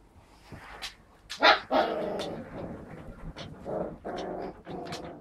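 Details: Husky pups four weeks old alongside adult huskies; a quick run of short, rough barks and yaps, several overlapping, with a person's voice heard faintly.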